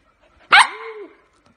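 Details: Small dog letting out one sharp bark that trails into a drawn-out whining tone lasting about half a second.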